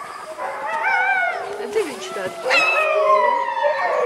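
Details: Alaskan Malamutes, the oldest dogs of a kennel at Mežpils, wearing backpacks before a five-hour hike. Drawn-out wavering howls, rising then sliding down, overlap with a second voice. A loud fresh howl starts midway and a person speaks briefly.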